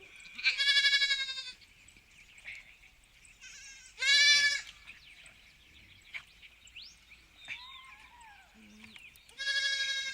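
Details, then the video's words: Farm sheep giving loud, drawn-out quavering bleats about every three to five seconds, with softer, more distant bleats and light background noise between them. "Sheep Farm Atmosphere"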